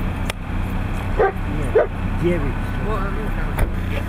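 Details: Siberian Husky at competitions in Nizhny Novgorod on 3 February 2017: two short sharp barks, then a run of arched, whining yips rising and falling in pitch, over a steady low hum and faint background voices.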